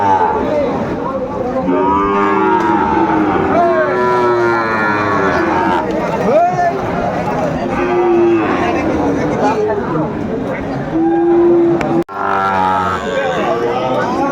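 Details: Sahiwal bull calves at a busy cattle market in Comilla, Bangladesh, on 13 August 2024: several drawn-out, low lowing moos with steady tones, some long and level, heard over constant crowd chatter and traders' voices.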